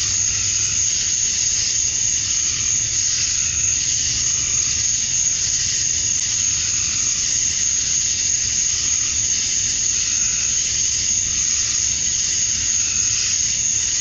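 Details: Male cicadas in a summer dusk chorus in Georgia, USA, chirping to attract females: a dense, unbroken high-pitched hiss that holds steady at one level throughout, with a faint low rumble underneath.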